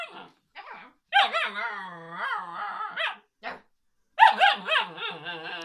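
An Alaskan Malamute puppy 'talks' with drawn-out, wavering howl-like yowls and grumbles.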